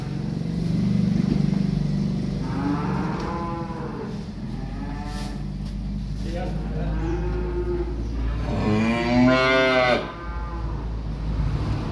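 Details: Young calves arriving by truck moo loudly: a long harmonic bellow around the third second and a second, stronger, rising-then-falling moo near the ninth second, over a steady low engine rumble.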